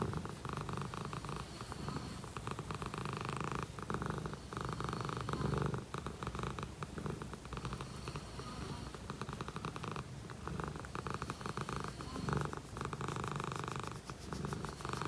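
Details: A contented Dragon Li shorthair cat purrs close up, a deep, even, pulsing rumble that swells and eases with its breathing, with no other sounds.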